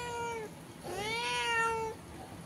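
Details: Domestic cat at a window calling to a cat outside; a short level meow, then a longer rising-falling meow, clear harmonic tones in a quiet room.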